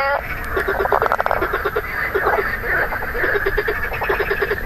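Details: A marsh frog (Pelophylax ridibundus, identification queried) with grey inflated vocal sacs gives quick bursts of rattling, low croaks in short, chattering pulse trains; recorded 2 June 2013.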